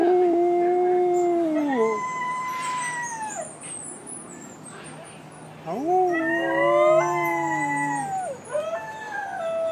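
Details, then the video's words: New Guinea singing dogs in a Palm Beach Zoo enclosure: a chorus of tonal howls in two pitches, each held then sliding downward, a pause, then rising wails that waver and fall, with soft voices in the background. "More new Guinea Singing Dogs"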